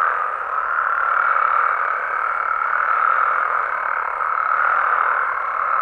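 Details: Many frogs and toads calling together after dark in Mexican wetland habitat, a thick, even chorus of overlapping croaks that gently swells and fades without any clear gaps.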